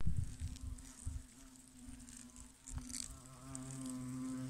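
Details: Hornets working in a hollow in a tree trunk give a steady, low droning buzz that holds an even pitch throughout.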